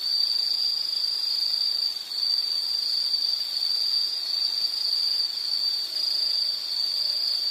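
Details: Insect chorus from a relaxing nature soundscape for studying and sleep: continuous high-pitched ringing trill at a single steady pitch, even in volume apart from a short dip near the two-second mark.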